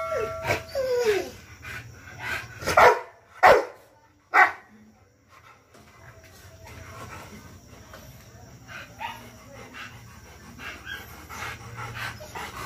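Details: A 14-month-old Rottweiler gives a few short, forceful barks, three strong ones close together early on after some softer yelps, followed by a long stretch of low background murmur and faint noise.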